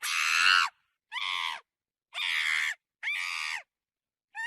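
A monkey gives loud, harsh screams in short bursts, each about half a second long.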